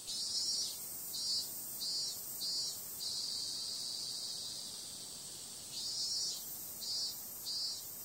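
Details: Shrill cicada buzzing at night in summer, pulsing in regular beats for about three seconds, easing into a smooth unbroken drone, then breaking again into a run of rhythmic throbs.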